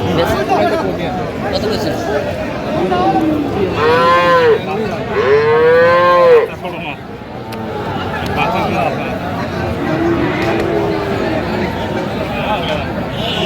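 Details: Friesian or crossbred bull calves being bought by a farmer in Madaripur, Bangladesh, on 21 October: two drawn-out, harmonic moos, the second louder and longer, rise out of steady crowd chatter and background noise.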